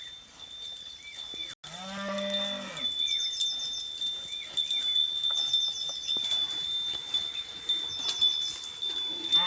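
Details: Khillar cattle, a native Maharashtra breed, give one clear, drawn-out low moo with rich harmonics lasting just over a second. Tinkling chime- or bell-like tones and chirping birds continue throughout.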